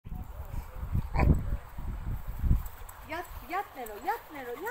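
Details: Cane Corso and Pitbull Terrier, Nero and Rio, playing together: low rumbling growls through the first three seconds, then a run of high, wavering whines that bend up and down.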